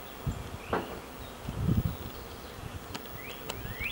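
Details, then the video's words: A colony of honey bees swarming in and out of a huge hollow old oak tree in a yard gives a low, diffuse hum, with a few faint rising bird chirps near the end. "We have a colony of honey bees living in a tree in our yard!"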